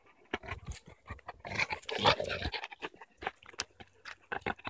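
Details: Cane Corso dog panting, quick breathy puffs at roughly two per second, broken by a louder burst of huffing and a faint whimper, heard close up indoors.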